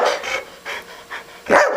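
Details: Older pet dog signalling hunger to its owners before being fed, indoors; a run of short breathy bark-like bursts and panting, four in quick succession, then a louder voiced yip at the end, person speaking nearby.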